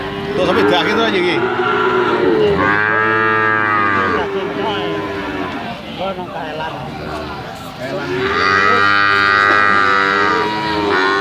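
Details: Limousin cattle calves offered for sale, mooing loudly: long harmonic moos, some rising and falling, overlapping from several animals, with a brief lull mid-recording before another strong drawn-out call.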